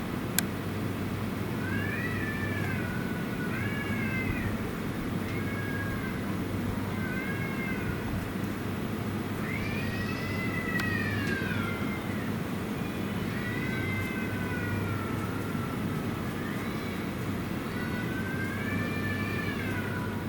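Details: Stray cat at night, recognisable by its distinctive cry, meowing after a reunion following a long absence: about nine arched, harmonic meows spaced every two to three seconds over a constant low hum.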